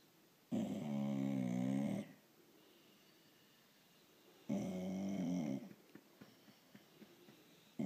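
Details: Female blue Irish Staffordshire bull terrier grunting and snoring indoors to ask for petting or attention; two drawn-out low rough grunts, each over a second long, separated by a pause, with faint rustling afterwards.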